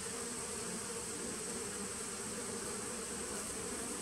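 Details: Honey bees of a nucleus colony begun in 2017, recorded on 19 September 2018: a dense, unbroken buzzing hum with a low drone and hissy upper wash, steady in loudness throughout.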